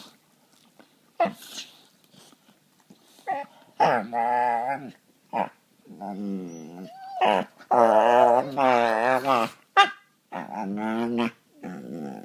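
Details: Two pet dogs play fighting and gnawing at each other on a couch indoors; a series of drawn-out, moaning, tonal growls in bursts of one to two seconds, separated by short pauses and softer grumbles.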